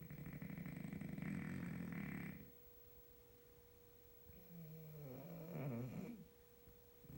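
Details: Two French Bulldogs snore together at night: loud, rough, low rattling breaths followed by softer wheezing draws.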